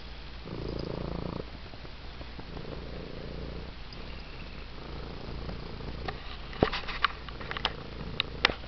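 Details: Purring of a male six-toed domestic cat being given attention: a loud, gravelly rumble at the start, then a quieter, steady purr, with several sharp clicks and taps toward the end.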